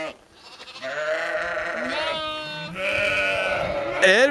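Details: Sheep in Skåne, Sweden, bleating in long overlapping wavering calls, one after another for several seconds, ending with a sharp, higher, rising bleat.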